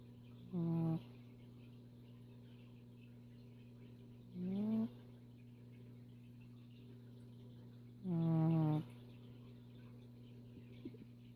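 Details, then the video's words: Bridge, a female pet cat, snoring while asleep: three throaty snores roughly every four seconds, each a short buzzy rising breath with rich overtones, the last one longest, over a steady low electrical hum. "Snoring cat"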